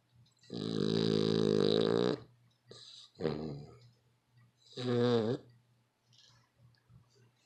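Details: A dog snoring very loudly: one long raspy, rumbling snore of about a second and a half, then two shorter rattling snores, over a faint low steady hum.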